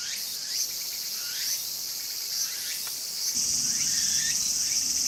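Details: Walker's cicada in a garden, calling actively: short upward-curving strokes sounding over a hissing high buzz, with the ringing tone swelling louder near the end as low background rumble rises.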